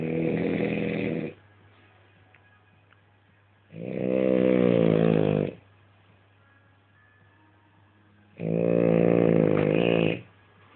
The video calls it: French bulldog snores